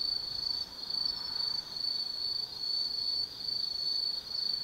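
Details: Autumn insects singing at night in the Tsukimi Forest above the Nobi Plain, Kaizu, Gifu Prefecture, Japan: a steady high-pitched trilling band that swells and dips in pulses roughly once a second, with faint background hiss.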